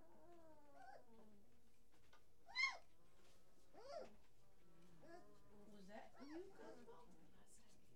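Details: Great Dane puppies in an indoor nursery on 29 November 2018, evening around 18:39, give high rising squeals and thin whines, one sharp loud squeal standing out midway, while people talk softly close by.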